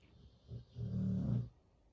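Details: Chow Chow puppy snoring: a short low rumbling snore swelling for about a second after a brief snort, with faint airy breath above it, in a quiet room.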